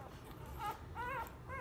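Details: Two-day-old Labrador Retriever puppies from Copper and Jack's litter of ten give three high, squealing whimpers that rise and fall. The middle cry is the longest. A low background hum runs underneath.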